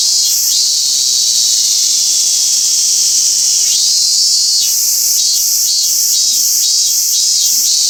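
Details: Robust cicada (minmin-zemi) singing in a park at Toyanogata, Niigata, Japan; a loud continuous high buzzing drone that breaks into pulsed, rhythmic phrases repeated about every half second in the second half.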